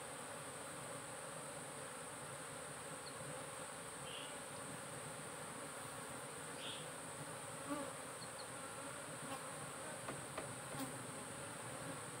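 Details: Honey bee colony in a cultivated hive box, part of modern beekeeping monitored by the SAMS smart apiculture device; a steady, dense droning hum holds throughout, with a few faint soft clicks near the end.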